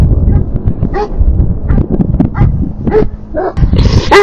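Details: Livestock guardian dogs, three of them, defending their herd from two passing coyotes near the fence: a steady run of loud, deep barks mixed with higher yelping notes, several dogs overlapping.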